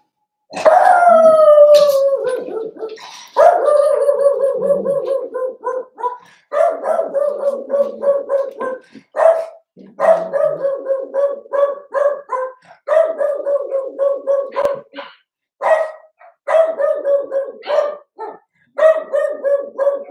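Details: Cavalier King Charles Spaniel puppies Cooper, Conner and Jenny, born 06/09/2022, Ruby and Blenheim coats, indoors overnight on 8/27: an opening drawn-out falling howl, then a long run of rapid, wavering yelping barks in bursts with brief pauses.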